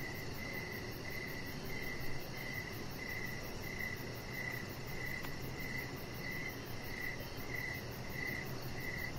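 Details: Evening crickets near a deck with decoration lights, a chihuahua puppy lying outside: high, clear chirps repeat roughly every three quarters of a second in an even rhythm over a soft, steady background hiss.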